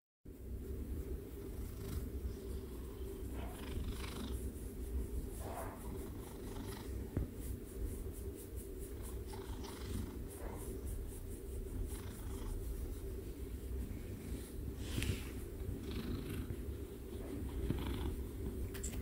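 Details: A cat, shortly before biting, purrs in a continuous low rumble that lasts the whole stretch, with faint scattered rustles above it.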